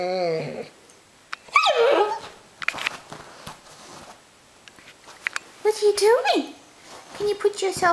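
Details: Six-month-old Bernese Mountain Dog puppy sitting up and talking back, giving short whiny, wavering yowls with falling pitch, in two main bursts separated by quiet with scattered knocks indoors.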